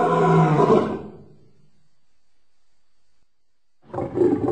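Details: Lion roaring: a loud, deep, harmonic-rich roar lasting about a second, then near silence, with another roar starting near the end.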